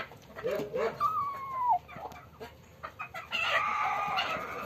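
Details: Black-and-white kitten just caught after hiding, struggling and roaring. A single meow, slightly wavering then dropping at its end, sits between rustling, handling sounds and a later stretch of broad scratchy noise.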